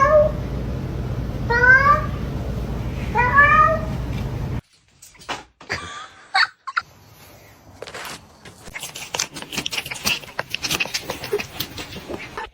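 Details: Cat meowing indoors: three short harmonic meows in the first four seconds, then clicks, thumps and a burst of broadband noise.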